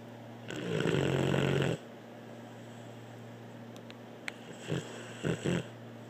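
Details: Dog named Blue snoring indoors: one loud, rough, low rumbling snore of about a second, then quiet breathing with a few short soft snorts near the end.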